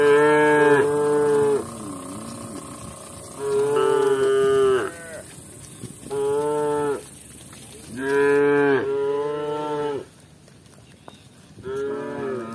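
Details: Village cows walking together with their shepherds; five loud, drawn-out moos, each about a second long with a rich, throaty tone, come at uneven intervals with brief quiet gaps between them.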